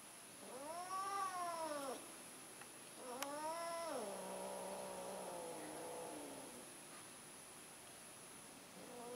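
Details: Mating cat, an orange tom attempting again: rising-and-falling yowls followed by a long, wavering, low moaning wail lasting about three seconds, with a constant faint high-pitched hiss behind.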